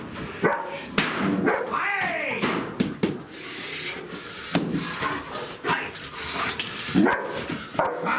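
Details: German Shepherd named Siggi, a two-year-old nervous female, in bite training under pressure in a new scenario; sharp barks and yips break out irregularly over a busy, noisy background with rustling and movement.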